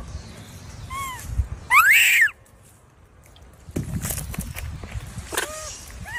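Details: A baby monkey gives a loud, arched squeal that rises and falls for about half a second, with shorter, softer descending peeps before and after it and faint rustling in the background.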